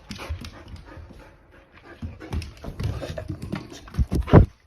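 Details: Akita named Monta, worked up after hearing "walk" said to him again and again, panting and snuffling in rough bursts, then a short, sharp whimper near the end.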